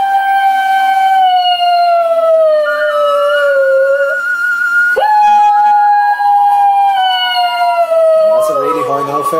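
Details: Two dogs, Tommy and Lizzie, singing along to their favourite song as an ear-piercing howling duo: long, loud, sustained howls gliding slowly downward, one breaking off midway before a new higher howl resumes, voices overlapping near the end.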